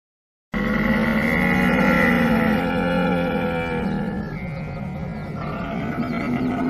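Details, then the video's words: Deep, throaty camel bellow, a continuous gurgling grumble rich in layered tones, loudest early and easing slightly toward the end, starting abruptly after a brief silence. "45 minutes Camel sound effect | animal sound effect | camel sound"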